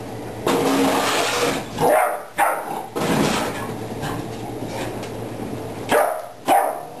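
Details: Ten-week-old puppy named Dexter barking at a water bottle until he tires himself out; harsh, noisy barks come in several bursts across seven seconds, separated by brief pauses, over a steady low background hum.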